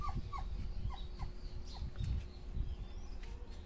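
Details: Dobermann puppies cooling off on a hot day beside their mother; a few brief high yelping whimpers, each sliding downward, spaced under half a second apart and fading, with low rumbling noise throughout.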